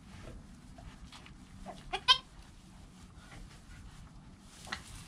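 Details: Bleating from a newborn kid named Joel in his first hour of life, his mother Penny calm nearby: one loud, rich, quavering cry around two seconds, a faint shorter call near the end, low rustling throughout, GoPro recording.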